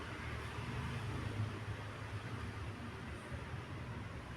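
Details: Low vehicle hum and traffic rumble run through the short recording, with no animal voice.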